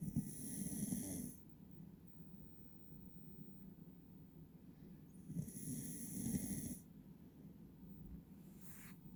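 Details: Sleeping Beagle Will-san, eyes half open while dozing next to his owner, snores in rough, low, rattling breaths, louder in two bursts around which a bright, steady high tone briefly plays.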